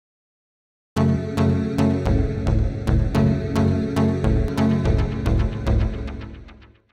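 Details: Rhythmic instrumental music with steady percussive beats and low tones, fading out toward the end, with no animal voice present.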